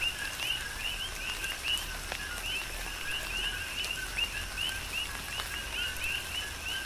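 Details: Dense coqui frog chorus during a tropical downpour on the Big Island, Hawaii: many frogs giving quick rising whistled notes paired with lower tones, densely overlapping and steadily repeated, over constant rain noise and occasional heavier drops.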